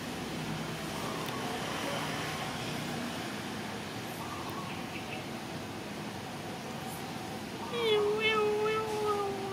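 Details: Mother cat waiting for someone to feed her; a drawn-out meow near the end, falling slightly in pitch, after a stretch of background voices and faint traffic-like rumble.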